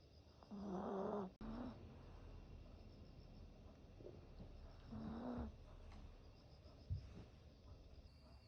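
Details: Napping Yorkshire Terrier giving two short, husky snores several seconds apart, each a low rasping buzz. A sharp click falls between them, with a soft hiss and faint thumps in the quiet gaps.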